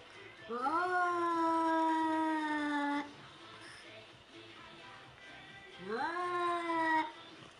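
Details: White cat facing a mannequin gives two long drawn-out meows, each rising sharply then held and slowly falling for about two seconds, separated by a quiet gap, with faint background music.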